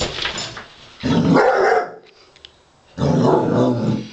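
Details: Basset Hound Wilma, playing rough with a robot dog, lets out a deep growling bark, falls quiet for about a second, then growls again.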